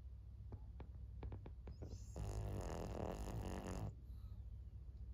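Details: Maria, a 14-year-old fawn female senior pug in Japan, recorded 26 May 2024: a few soft ticking clicks, then a buzzy, rasping snore lasting nearly two seconds before it fades back into steady room hum.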